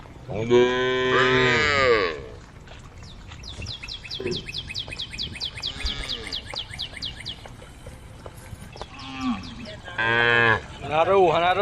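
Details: Tame female cows in a group calling the herd, giving a loud sustained moo, then a stretch of rapid twittering birdsong, then two more moos, the last wavering in pitch.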